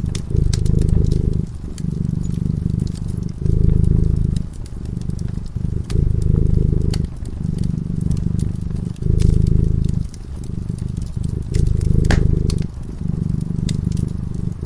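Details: Cat asleep beside a crackling fire, purring with a steady low throb that surges and eases with its breathing about every second, while wood pops and clicks sharply throughout.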